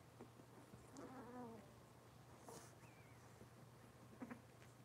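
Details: Litter of Cavalier King Charles Spaniel puppies from Robin, the mother, indoors on a kitchen camera livestream: a short harmonic whine near the start, then a thin rising-and-falling squeal, with soft scuffling over a steady electrical hum.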